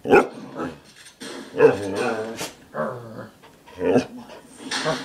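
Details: Wolf hybrid, a rescued former stray fearful of humans, about three months after adoption, indoors talking back and forth with a person: short moaning, yowling harmonic bursts in uneven runs, with human speech in between.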